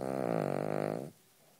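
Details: Anna, a Cavalier King Charles Spaniel, gives one low, buzzing snore that rattles for a second, then stops.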